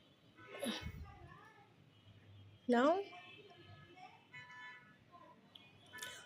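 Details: Black cat being fed egg yolk indoors gives one loud, short wavering meow midway, rising then falling, while a person speaks softly in Bengali before and after, coaxing it to eat.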